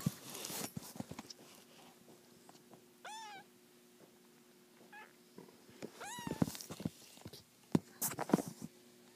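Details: Three-week-old black-and-white kittens from a fostered litter of seven, waking up indoors; thin, high mews slide downward, one near three seconds and a pair around six, amid rustling, soft thumps and clicks.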